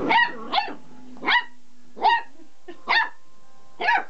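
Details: Young pet dog barking while excited by a vibrating pull-cord toy, six sharp barks spaced roughly every half to one second, with a faint steady hum in the background.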